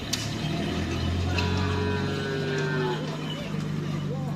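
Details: Madura cattle at karapan sapi bull-racing practice on the crowded Asemanis field in Pamekasan; a low, steady moo holds for about two seconds amid a busy hum of human voices and passing engine noise.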